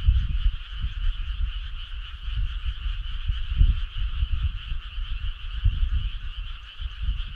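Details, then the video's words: Summer-night chorus of frogs near a country road: a constant buzzing, pulsed drone from countless callers, partly masked by loud, gusty low rumble through the whole stretch. "Cool frog sound"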